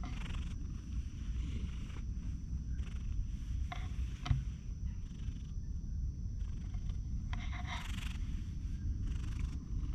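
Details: A lonely stray cat meeting a man purrs as a steady, low rumble that runs through the whole stretch, broken by short bursts of rustling and handling noise.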